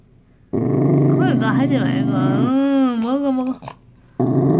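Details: A Dachshund, seemingly scared, gives a low, rumbling growl that slides into a wavering, whiny tone before rumbling again while being coaxed to eat a homemade treat.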